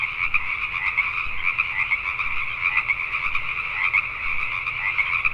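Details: Pacific tree frogs at night in Richmond, British Columbia, Canada: thick chorus of scratchy, pulsed croaks from numerous frogs, some closer calls punching above the steady background.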